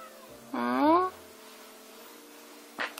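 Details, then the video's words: Indoor house cat complaining as its owner folds laundry; a single short meow that rises and slides upward in pitch over half a second, followed by a quiet room hum and a brief rustle. "빨래개는데 계속 잔소리하는 고양이"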